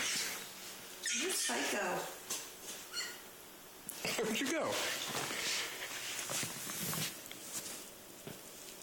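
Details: A pet male fennec fox, not hurt but excited, suddenly gives harsh, high-pitched screams that rise and fall in short, strained bursts.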